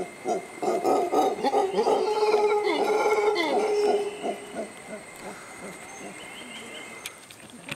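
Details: A mantled howler monkey resting in the shade a few feet from a suspension bridge at Tirimbina Biological Reserve, near La Virgen, Costa Rica, gives a deep, rasping howl of rapid throaty grunts that rise and fade.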